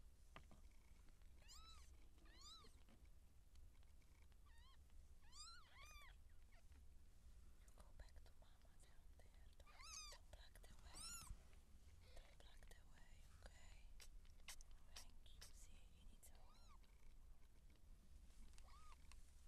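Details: Seal point Siamese cat in labour, giving birth to kittens: a run of about a dozen arched, rising-then-falling mews with rich harmonics, some in quick pairs, spread across the span, with scattered clicks and a steady low hum beneath.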